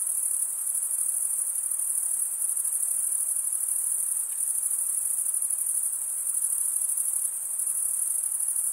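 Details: Night crickets in a summer forest keep up an even, piercing high trill that barely varies in loudness, with soft diffuse hiss underneath.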